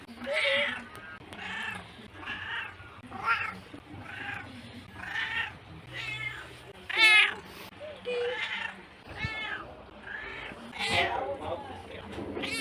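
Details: Cat meowing repeatedly, short nasal mews roughly every second, some rising and bending in pitch, one sharper squeal near the middle, with faint voices in the background.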